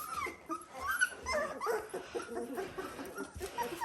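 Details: Dalmatian puppies 17 days old, indoors with a litter; overlapping high thin whimpers and squeaks from several pups rising and falling around the same pitch, with soft rustling underneath.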